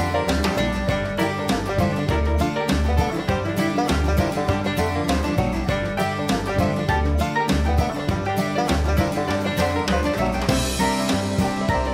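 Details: Lively bluegrass-style music with plucked banjo and guitar over a steady rhythm plays throughout; no animal voices are heard.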